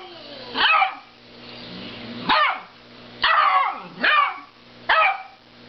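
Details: A dog barks at a snoring cow in sharp, harsh bursts, spaced irregularly about a second or two apart.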